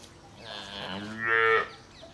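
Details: Desi (local variety) black cow being milked at a dairy in India, her calf standing close by; a single rising-then-held harmonic moo of about a second, swelling louder toward its end.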